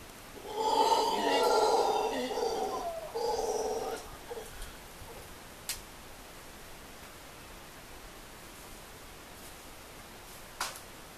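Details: Black howler monkeys at La Ensenada, Costa Rica, in January 2013: one gives a deep, rasping roar in two long bursts, followed by quiet.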